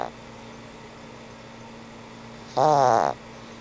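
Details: Sleeping old pug Frank N. Stein gives a single loud, buzzy, rattling snore lasting about half a second, set against a quiet room with a low steady hum.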